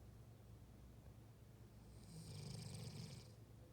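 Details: German Shepherd Husky mix snoring in deep sleep: after a quiet stretch, one drawn-out rasping breath of about a second and a half, with a low rumble beneath a hissy airy top, then quiet again.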